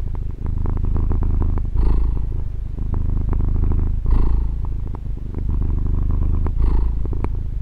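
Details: Continuous low purring of a female pet cat captured on a Tascam DR-40, a dense throaty rumble that rises into a slightly louder, airier phase about every two seconds, regular and unbroken.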